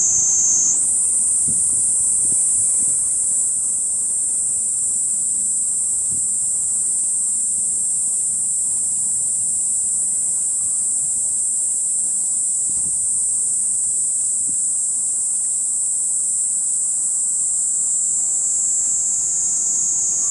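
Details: Kaempfer cicada calling from a cherry tree in a park in the evening, 17:35 on 20 July 2018, filmed at close range; a steady, piercing high shrill that holds unbroken for twenty seconds after a brief lower start.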